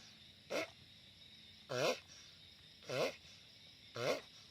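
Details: Giant sulcata tortoise, loud: four short nasal groans with a wobbling, bending pitch, roughly a second apart, the first one faint, over a steady high background hum.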